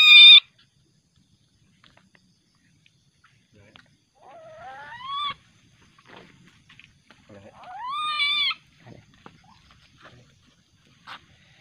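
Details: Juvenile musang (common palm civet), described as very aggressive at night and later released back to the wild, gives loud harmonic squealing calls: a sharp cry at the start, then two rising wails near four and eight seconds, with faint rustling between.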